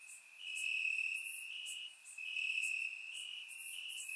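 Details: Chorus of crickets in Bulgarian grass on a warm summer night, surround-mic recording; continuous high shrill trill with small pitch shifts, swelling and fading, topped by sharp higher pulses roughly every second.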